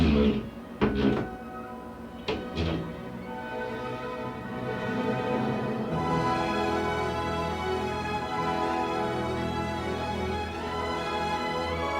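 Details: Orchestral music builds after a few knocks and thumps, with no animal sounds.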